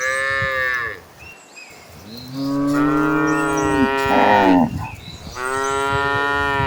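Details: Cattle in a herd running toward green pastures; overlapping long harmonic moos, one bending upward then falling, with a rougher bellow mid-way and another sustained moo at the end.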